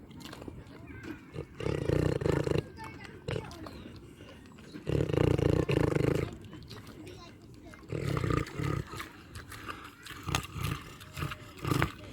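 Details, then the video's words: Pig on a farm, eating and snoring. Low, coarse rumbling grunts come in bursts lasting about one to two seconds. They are spaced by short quieter gaps with soft snuffling and clicking sounds. "LISTEN TO PIG EATING AND SNORING SOUNDS"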